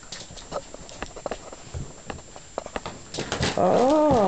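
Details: Jack Russell Terriers, a household group including Sporty, Griz, Rosie and Daisy, recorded in April 2008; after soft pattering and thumps, one dog lets out a loud, wavering, high-pitched whine, rising and falling for about a second near the end.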